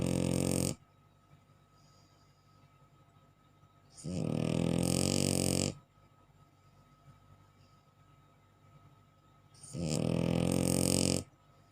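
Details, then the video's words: Bulldog asleep and snoring in a small room: three heavy, grating snores, each about one and a half seconds long, separated by roughly four seconds of near silence. "HOW THE BULLDOG SNORING"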